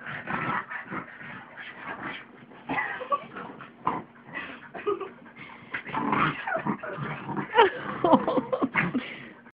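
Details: A pug and a mutt wrestle playfully on a bed indoors. Steady rumbling growls mix with high whimpering yips and squeals in quick, uneven succession throughout.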